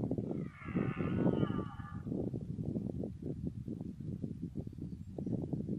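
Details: Red deer stag roaring in the autumn rut: dense, heavy low grunting throughout, overlapped early by a higher wavering tonal cry lasting about two seconds.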